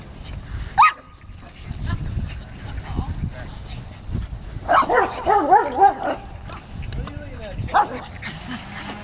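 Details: Two pugs running laps around chairs. A sharp yelp comes near the start, then a cluster of squeaky, wavering whines and yips in the middle, with human voices talking throughout.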